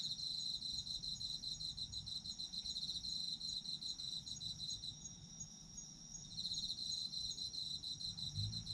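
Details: Sleep-ASMR recording of autumn insects: dense high-pitched trilling and rapid chirps almost without pause, one brief dip before the pulsed chirping returns, with a steady ringing tone throughout.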